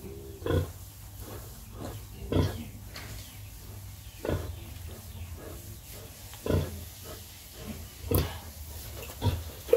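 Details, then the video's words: Sow nursing piglets, grunting low and short at a fairly even pace, roughly one grunt every two seconds, five or six in all, against a constant low hum. "Pig breastfed piglets"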